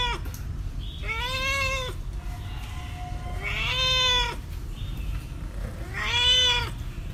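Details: Meowing cat from a collection of cats and kittens calling: three drawn-out, clear harmonic meows roughly every two and a half seconds, each rising slightly and holding, over a low constant rumble.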